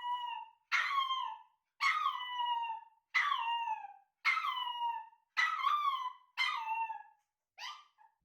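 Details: Male Chihuahua puppy born November 2019, a nervous young dog exposed to recordings of its own voice: eight sharp, falling whimpering cries in a quick regular run, roughly one per second, the last one shorter and softer.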